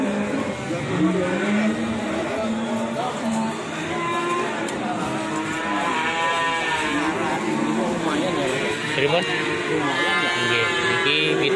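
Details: Indonesian Ongole cattle, original breed, giving long, wavering moos that rise and fall, mixed with continuous music and occasional applause.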